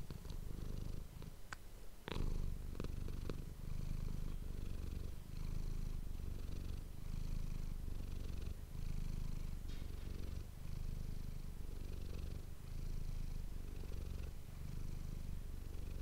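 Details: Domestic cat Manis purring steadily into an ASMR microphone, rhythmic low rumble rising and falling with breaths roughly every one and a half seconds, a few sharp clicks and taps near the start.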